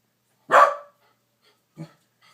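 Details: A female corgi kept as a house pet barks once, loud and rough, at a TV advert she dislikes, followed by a short lower huff and near silence.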